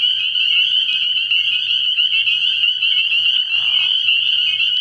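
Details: Many spring peepers calling from a frog pond at night in early spring, their high, shrill peeps overlapping into a dense, unbroken ringing chorus, with a faint low hum underneath.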